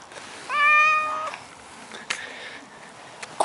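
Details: Short, clear meow under a second long from a male Maine Coon cat who does not want to leave his favourite garden bush, followed by soft clicks and rustling noises.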